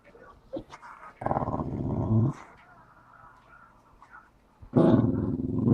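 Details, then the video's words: Staffordshire Bull Terrier cross dog indoors, wanting a ball stuck behind the sofa; two low, rough growling whines, the second rising in loudness at the end, with faint snuffling between. "going crazy for ball behind the sofa! Weird noises!! - staffordshire bull terrier x"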